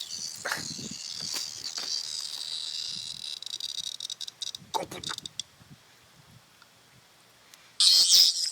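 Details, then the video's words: Cicada caught in the mouth of a dog named Peggy, buzzing as she carries it: a harsh, high, hissing drone for about three seconds that then fades, with brief words from a person in between. "Peggy has a Cicada Bug in her mouth"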